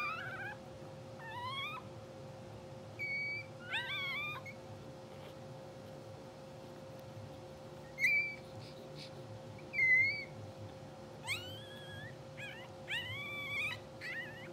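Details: English Bulldog puppies two hours after birth, blue sable litter, dozing and dreaming; scattered shrill squeaks and short upward-sweeping cries, several louder yelps near the middle, with quiet gaps between and a faint steady hum underneath.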